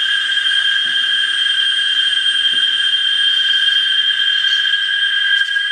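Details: Cicada chorus in Parque del Bicentenario, San Salvador, El Salvador: a loud, unbroken, shrill droning whine with steady high tones, holding constant throughout, with a couple of faint low knocks beneath.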